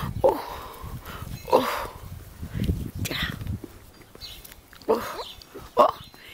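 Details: Sheepadoodle puppies at morning play: short, high squeaky whines burst out four times at irregular intervals, over a woman's soft cooing talk and rustling handling noises.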